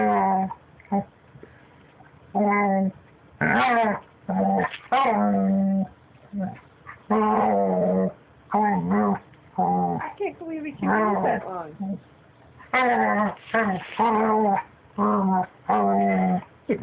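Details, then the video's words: Pet puppy trying to talk or just making weird noises: rapid back-to-back series of short and medium moaning whines and yowls, rising and falling like chatter, with soft grumbles between them, indoors. "Cute puppy making noises"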